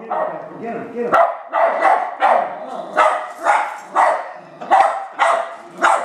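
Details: West Highland White Terrier barking at R2 robot, about ten loud, rasping barks in a fairly regular rhythm, with a low human voice murmuring underneath.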